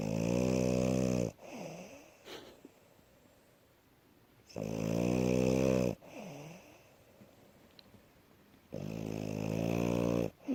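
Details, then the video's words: Asya, a female French Bulldog, sleeps on a bed after tiring herself out running around. Deep, droning snores with a rich harmonic buzz, each lasting over a second, come roughly every three seconds, with soft wheezy breaths between them. "Французский бульдог Ася здоровый сон и храп"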